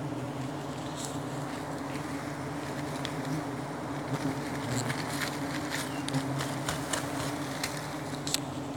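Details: A colony of giant honey bees (Apis dorsata), recorded during a wild honey hunt, gives a steady, low droning hum with scattered crackling clicks.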